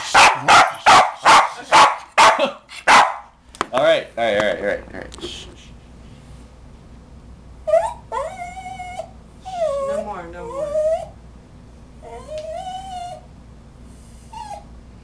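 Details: Pet West Highland White Terrier reacting to the song "Pony" on the radio: a quick run of sharp barks in the first three seconds, then quieter drawn-out whines and whimpers as the owner calms him.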